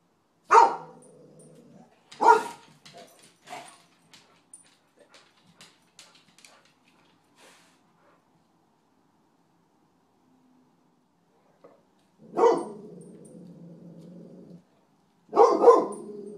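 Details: Dog named Sunny on a raccoon hunt: loud bursts of barking with drawn-out, steady-pitched baying tones, then a long quiet gap broken by faint ticks, before two more bark-and-bay bouts near the end.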